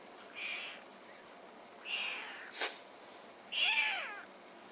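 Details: Two-week-old Maine Coon kittens from a litter of four born on 18 June, indoors. Three thin, high meows are spaced over a few seconds. The last is a longer, wavering cry. A brief sharp click falls between them.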